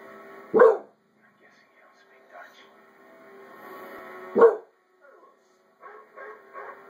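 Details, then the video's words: American Bulldog named Zeus barking indoors at a dog barking on television, which he kept up for five minutes; two loud single barks about four seconds apart over quieter background voices and sounds from the television. "American Bulldog Zeus not happy with TV"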